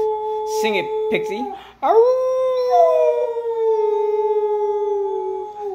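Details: Pet dog howling along with its owner's singing indoors: after a few short vocal sounds, one long sustained howl slides up and then slowly sinks over about four seconds.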